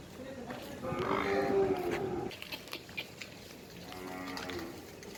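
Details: Nili-Ravi buffalo at a Multan, Pakistan dairy breeding farm, giving one long, low, harmonic moo of about two seconds that fades out, followed by quieter farm background noise and faint clatter.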